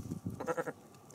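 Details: Male pygmy goat in an enclosure among big cats and wolves, head-butting a volunteer's fist during play; a brief, quavering bleat broken into about four rapid pulses, preceded by soft low thumps.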